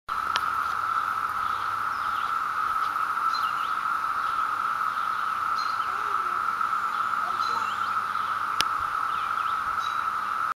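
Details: Cicadas chirping in Mountainside, 2013, hold a steady, unbroken droning buzz, with faint bird chirps high above.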